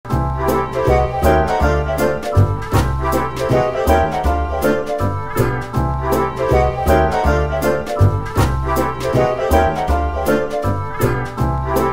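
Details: Loud, bouncy piano and organ music with a swinging rhythm and a steady beat runs without a break, with no animal sound audible.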